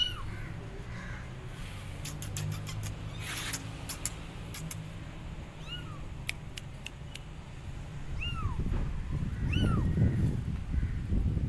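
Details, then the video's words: Abandoned kittens on a gate call for their mother cat: a few thin, arching meows rise over heavy low rumbling and scattered clicks, growing more frequent toward the end. "Abandoned Kittens Are On Gate Meowing Loudly Calling Mom Cat"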